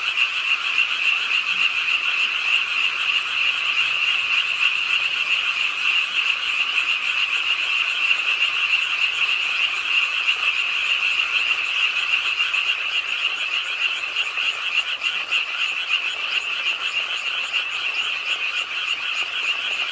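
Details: Frogs at a park pond in Suwon, South Korea, croaking with the rain late at night; a constant buzzing, rattling chorus of many overlapping callers, slightly louder early and easing a little toward the end.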